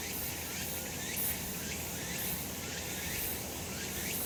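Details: Sunny summer mountain with cicadas droning steadily, a bright sizzling chorus with slight periodic swells and a faint low hum beneath.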